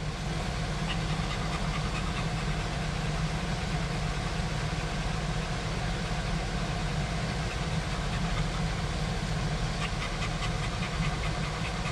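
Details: Continuous idling engine rumble fills the whole stretch, steady and loud, with faint rattling and no barking or other animal sound.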